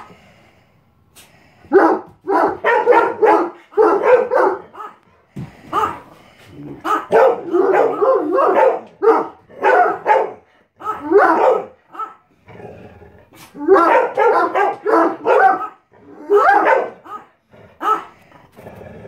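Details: Irish Wolfhound and Chocolate Lab in the morning, November 20, 2016; loud, rough barks repeat in rapid clusters, broken by short gaps, with faint background music.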